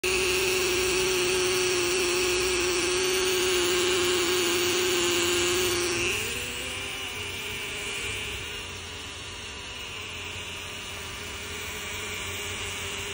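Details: Xylocopa carpenter bee at nests in a jackfruit tree gives a loud, deep, droning buzz at one steady pitch for several seconds, then lifts slightly higher and fades as the bee moves off, against a quiet background.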